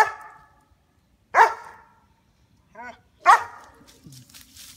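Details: Female White German Shepherd, 2 years 9 months old, protecting the backyard from squirrels, barks loudly three times at roughly two-second intervals, with a short higher whine-like sound between barks.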